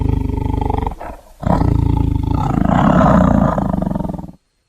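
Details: Tiger producing a low, pulsing, throaty growl that swells into a sustained rumbling roar before stopping abruptly.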